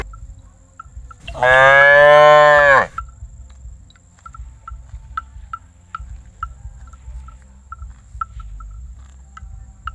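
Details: Friendly young calf that does not fear humans lets out one clear, strongly harmonic moo lasting about a second and a half, followed by a steady series of faint ticking clicks over low background rumble.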